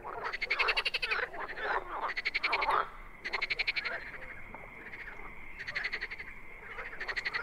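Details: Frogs in the wild giving loud rattling croaks in quick pulsed bursts, with a steady higher trill continuing underneath through the quieter stretches.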